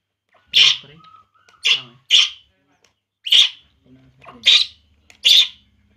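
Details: Baby monkey named Poo crying while drinking milk: six short, shrill squealing cries with noisy, breathy edges, spaced irregularly about one second apart, with a faint low hum and a brief soft tone between cries.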